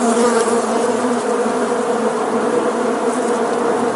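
A bee's steady, low droning buzz holds an even hum with a rich harmonic tone for the full four seconds, with no other sounds.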